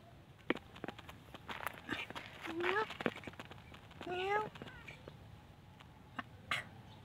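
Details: Pagoda-dwelling mother cats and kittens begging for food; two clear tonal meows, each rising then falling, spaced about one and a half seconds apart, with scattered clicks and tapping around them.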